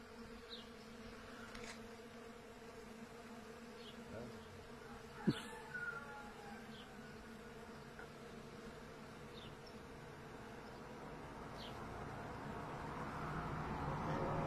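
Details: Honey bees collecting pollen on young thuja shrubs: a continuous droning buzz with layered overtones, one sharp click near the middle, and the hum growing gradually louder toward the end.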